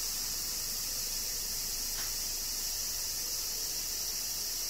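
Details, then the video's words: Cicadas singing during summer rain in Kyoto, Japan: a dense, unbroken high buzzing drone that holds steady throughout, with two bright bands high up and a soft wash of rain beneath. "Cicadas Summer Rain - Zen Sounds of Kyoto, Japan"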